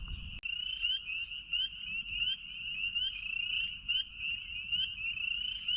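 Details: On Easter Sunday evening in early spring at Lake Jean, Ricketts Glen, Pennsylvania, by a crackling campfire at dusk, a dense chorus of spring peepers gives countless high rising peeps overlapping without pause.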